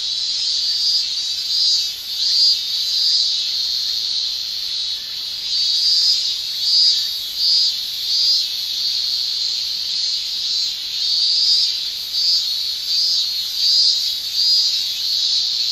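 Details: Male cicadas in a Japanese summer shrilling with tymbal song, a dense continuous high hiss that swells and fades in slow pulses about every second or two, with no other sounds.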